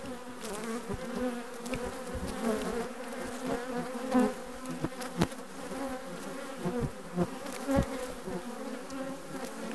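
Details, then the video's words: Requeened honey bee colony recorded in June 2020, humming in a dense continuous drone with rich overtones, scattered clicks and brief louder surges as individual bees fly near. "Bees june 2020 requeened"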